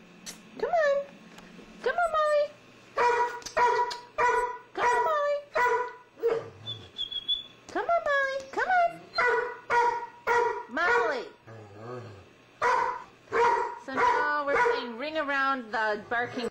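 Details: A young puppy living with a tolerant old dog indoors; a rapid, irregular run of high yips and barks, some sliding downward, with brief low grumbles and occasional human voice.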